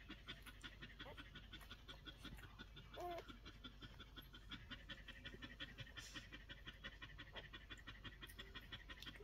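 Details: One-week-old Collie puppies, heard as quick breathy panting pulses, roughly three per second, steady across the recording, with a brief thin squeak just after three seconds and faint high hiss throughout.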